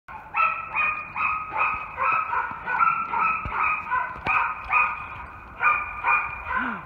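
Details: Raco, a roughly three-year-old German Shepherd/Coonhound mix surrendered after neglect, barks in a quick run of sharp, harmonic barks a few tenths of a second apart, with brief pauses, as a person praises him at the end.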